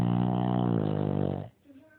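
A Shih Tzu snores with a deep, rumbling drone that fades away after a long breath.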